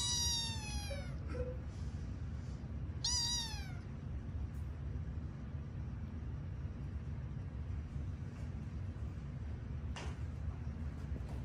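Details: Sleepy kittens at bedtime, part of a litter of five found in an office building: a drawn-out descending meow, then a second shorter falling meow about two seconds later, followed by quiet hum and a faint click.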